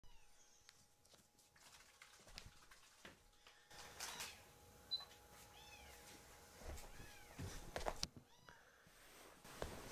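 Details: Rescued foster kittens Ashiro and Akuro begging for milk indoors: a run of short, high, arched meows in quick succession mid-clip, over a steady low hum with soft handling noises.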